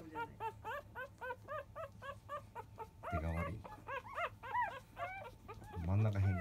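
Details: Five-day-old field-type Labrador Retriever puppies competing at a morning nursing from their mother biscuit; fast repeated squeaky yips, about three a second, broken twice by a human voice.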